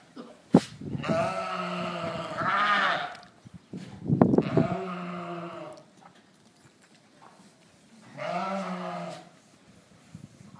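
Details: On a ranch with Dorper and White Dorper sheep, three drawn-out harmonic bleats sound about every three to four seconds, with a sharp knock at the start and quiet between calls.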